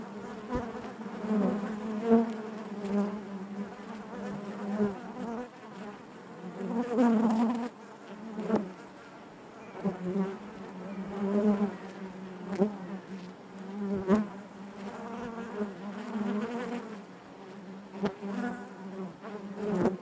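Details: Inside a honey bee hive, the colony's natural buzzing forms a continuous low droning hum, rising and falling in intensity every few seconds, layered with harmonic overtones and scattered faint taps.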